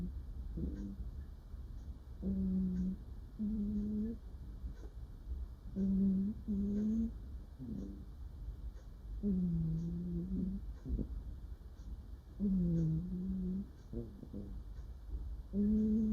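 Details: Cute murmuring noises from a female cat asleep and dreaming: a series of low, hummed, slightly wavering notes, each about half a second to a second long, coming in irregular clusters with short quiet gaps between.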